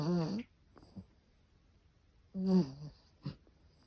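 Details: Chihuahua asleep and snoring: two short, rasping snores a couple of seconds apart, each followed by a faint wheezy breath in a quiet room.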